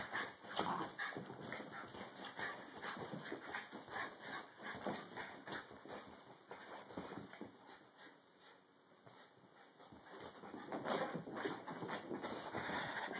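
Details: Dog at play with no barking or growling: breathy, noisy bursts like rapid panting and scuffling run irregularly throughout, fading quieter midway, then swelling louder toward the end.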